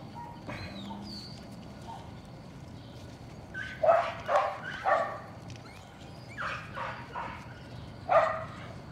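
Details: Young Patterdale Terriers in a puppy pen, worked on rats in the evening, let out clusters of sharp, high barks, two or three together, separated by pauses of a second or more, with faint background noise between bursts.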